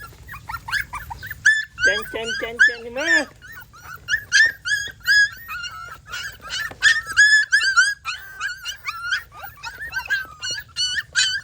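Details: Dog, described as very cute, giving a rapid run of high, squeaky yips and whines with harmonic, wavering tones, many short calls packed closely together; laughter and background music also present.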